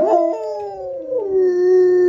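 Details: Alaskan Malamutes at home, howling in response to hearing a recording of themselves howl. A strong, clear howl starts high, sags slowly lower and settles into a long, steady tone, with a second voice overlapping near the end.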